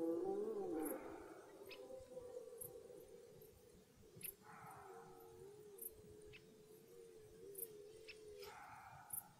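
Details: At the onset of the red deer rut in woodland, a loud harsh roar opens the recording. A long, steady, moaning tone follows, with further hoarse bellowing near the end and faint repeated high ticks behind.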